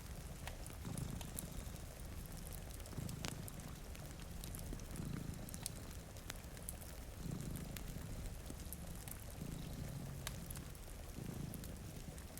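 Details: A purring cat sleeps with a companion in front of a rainy window. Throaty low vibration swells and fades in slow cycles about two seconds apart, set against pattering rain and scattered crackles from a fireplace.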